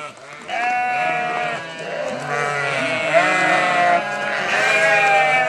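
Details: Sheep answering a farmer calling them, several overlapping wavering bleats with rich harmonics, one chorus swelling and fading across the clip.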